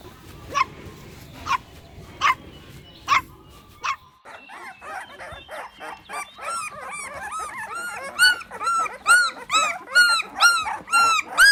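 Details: Puppies on green grass competing for toys: four sharp, evenly spaced barks, then a dense burst of rapid, high, arched yipping that grows louder.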